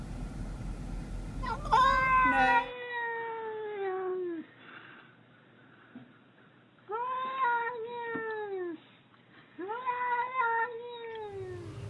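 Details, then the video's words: House cat giving weird vocal noises indoors while a person scolds it about eating fake plants; three long, clear, slightly descending meows with rich harmonics, spaced about three seconds apart. "Crazy Weird Cat Noises"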